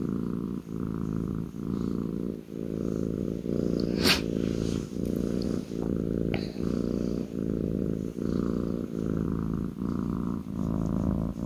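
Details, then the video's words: Contented kitten purring on a person's lap, continuous low throaty rumble rising and falling with each breath about every 0.8 seconds, with a sharp click around the middle and a faint tick shortly after. "kitten purring on my lap"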